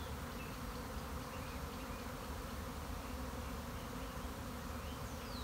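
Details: A keeper's own honey bees swarming on March 26, 2021: a loud, unbroken, dense buzzing drone with no other clear sounds.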